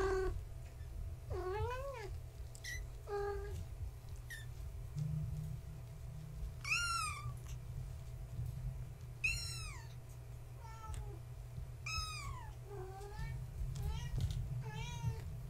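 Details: Tabby Gaia's kittens, born March 14, 2017, at bedtime indoors: many high kitten mews, some rising then falling and wavering, others short and bright, coming every second or two throughout with soft background hum.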